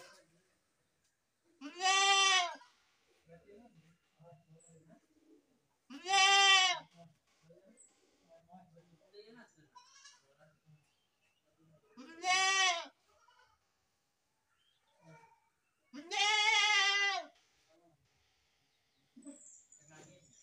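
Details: Baby goat bleating: four loud, wavering cries of roughly one second each, spaced about four seconds apart, with quiet scattered sounds in the gaps.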